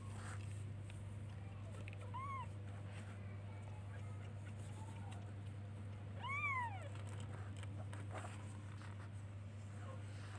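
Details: Baby kitten looking for and calling its mother: two separate arched meows, each rising then falling, about four seconds apart, over a steady low electrical hum and faint background noise.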